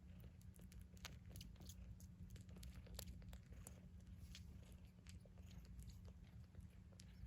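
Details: Newborn Maine Coon kittens about 48 hours old, from a litter of eight in SE Michigan, suckle milk with soft wet clicks and smacks over their kneading mother's loud, deep, steady purr.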